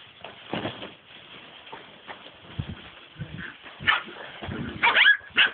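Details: Seven-week-old rescue puppies playing in a pen let out short high yips and squeaky barks, clustered toward the end, amid shuffling and bumping sounds.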